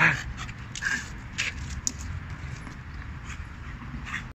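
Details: A 4-year-old French Bulldog, going crazy and attacking a car tire, gives short, gruff barks and yips mixed with snorting breaths over a low rumble.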